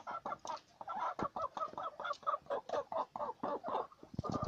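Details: Domestic guinea pig giving a fast run of short, squeaky, clucking notes, several every second.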